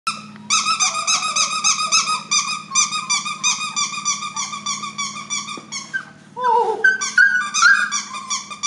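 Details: Levi, an F1 creme Labradoodle whose mother is a creme Standard Poodle and father a red Labrador, gives a high, squeaky whine in rapid wavering pulses, almost unbroken, dipping lower and breaking up near the end, over a steady low indoor hum.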